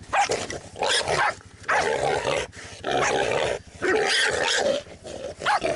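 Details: Jack Russell Terrier on a boar hunt, barking and growling in long rough bursts separated by brief pauses, the calls harsh and strained, with a high yip near the start.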